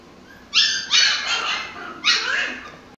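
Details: Shrill, loud barks from Mikey the Pomsky during toy play: two sharp, high-pitched yaps close together, a short pause, then a third drawn-out yap, all clear against a quiet room.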